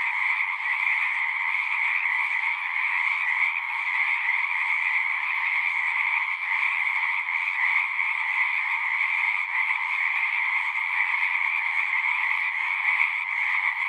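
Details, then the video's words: Many frogs singing together outdoors, their calls merging into a continuous shimmering drone of mid and high trilling that never pauses, level and steady for the whole stretch. "One hour of singing frogs."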